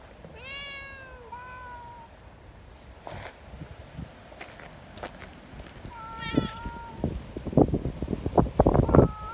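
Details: Friendly community cats, sweet and wanting petting, meeting in strong wind; a bright falling meow and a short second one open, a flat meow later, amid rustling, taps and gusty wind noise.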